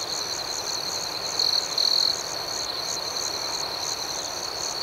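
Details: Crickets calling at night: a steady shrill trill carries throughout, with a pair of brief, louder chirps early in the stretch and rhythmic pulsing higher up against a faint hiss.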